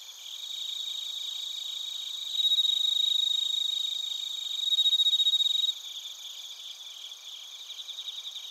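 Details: Crickets and bell crickets in Narita, Chiba, Japan: a nearby insect switches on a piercing, bright ringing trill in two loud bursts over a steady buzzy background chorus of pulsed chirps.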